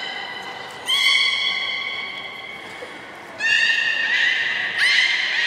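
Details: A beluga whale at Nagoya Port Aquarium, during playtime after feeding on 30 March 2019, gives long, squeaky, whinny-like whistles with a bright, steady pitch.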